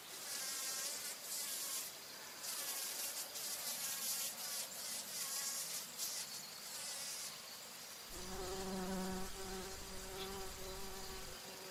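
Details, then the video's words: Bumblebee flying and feeding on nectar at flowers; after a stretch of hissy, crackling noise, a steady low buzz with a rich stack of overtones sets in for the last few seconds and swells slightly. "Bee humming / buzzing sounds | Bumble"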